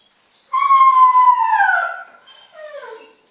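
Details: Zuni, a female Basenji, during 'leave it' food refusal training. She gives a loud, drawn-out whining yodel with rich harmonics that slides slowly downward, followed by a shorter, softer falling whine.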